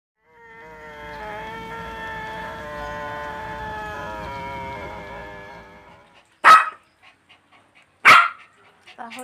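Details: Pomeranian and Shih Tzu barks compared: a drawn-out, high-pitched whine holds for several seconds, then two short, sharp, yappy barks ring out about a second and a half apart, with a few faint yips between.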